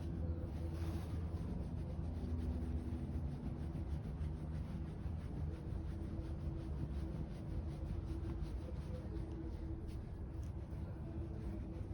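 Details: A quiet, continuous low hum and rumble with faint steady hiss fills the recording, with no animal voice.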